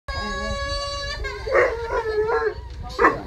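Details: Basset Hounds indoors howling in response to a crying baby, recorded 15 July 2016; drawn-out tonal howls with wavering pitch and bursts of louder, rougher calls near the end over a low background rumble.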